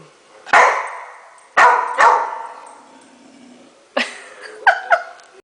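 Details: Rottweiler at home barking at the upper shelf of a dishwasher as it is unloaded; sharp single barks spaced about a second apart, then a cluster of shorter, higher yipping barks near the end.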